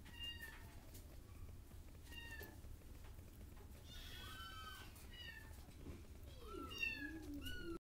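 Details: A domestic cat gives a series of quiet, arched meows, some short and some drawn out and wavering, repeated every second or so with overlapping calls near the end. A low hum runs underneath.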